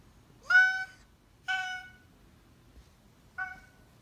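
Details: Indoor Oriental Shorthair cat known for honking in place of meowing gives three short nasal honks about a second apart, the first loudest with a slight upward start, the last brief and softer, over quiet room background.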